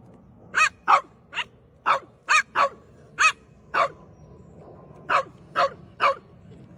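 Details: French Bulldog at play, giving single sharp barks spaced roughly half a second to a second apart, eleven in total, each bright and clipped, with a soft steady hum underneath.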